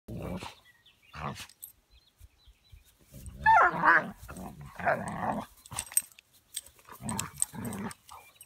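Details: Buddy, a puppy almost 20 weeks old, playing with Boomer: low rumbling growls and short harsh vocal bursts come in uneven clusters, with a louder yelping stretch in the middle and quiet gaps between.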